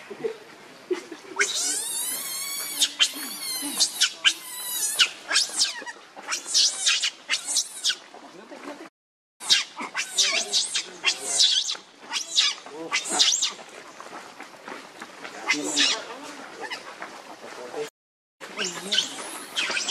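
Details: A baby monkey begs its mother for milk with shrill, quavering screams repeated in rapid bursts, broken by two brief silent cuts. Between cries come lower whimpers and handling noise.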